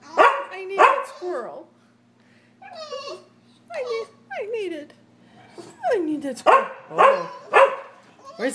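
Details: Sheltie, Collie and French Bulldog barking at a squirrel on a rainy day in March; bursts of sharp barks in irregular groups, some sliding yips, with a steady hum and a person talking.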